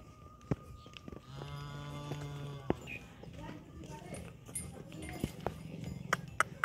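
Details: Dairy cow, a Sahiwal or Jersey on a farm, gives a short, steady, low moo of just over a second, with clicks, knocks and farmyard noise before and after it.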